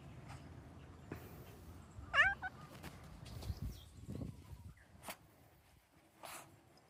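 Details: Cat in the countryside giving a single short rising-then-falling meow near the two-second mark, amid quiet outdoor ambience with low rumble and faint scattered clicks.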